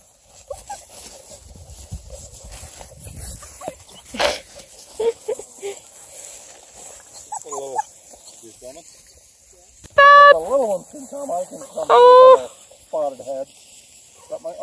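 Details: Seven-week-old Beagle puppies playing outdoors with 11-week-old Black and Tan Coonhound cross pups; quiet scuffling, then two sharp, high, wavering yelps near the tenth and twelfth seconds, followed by softer whines, with a person talking nearby.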